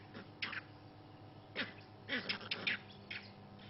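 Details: On a quiet morning at Juma game reserve, South Africa, vervet monkeys give harsh, abrupt alarm calls in short irregular bursts, warning of a young leopard nearby that is stalking a baby monkey.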